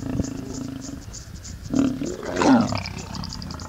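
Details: Lions mating in the Masai Mara, Kenya: a brief low growl, then two harsh, loud snarling bursts close together, with a constant insect chorus behind.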